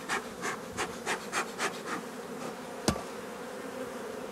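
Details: Work on honey bee colonies with drone-laying workers being replaced: a faint, even hive buzz with several soft puffing bursts early on, then one sharp click before the hum continues alone.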